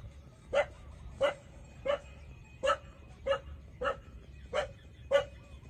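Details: Twenty-seven-day-old puppies nursing from their mother give a steady run of eight short squeaky yelps, roughly one every two-thirds of a second, fairly even in pitch and loudness, with low steady hum underneath.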